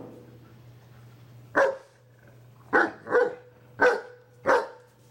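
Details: Indoor scene of a German Shepherd scolding a Pit Bull that is too excited: after a quiet pause come five abrupt barks, two close together, spaced irregularly over a few seconds, with a constant low electrical hum beneath.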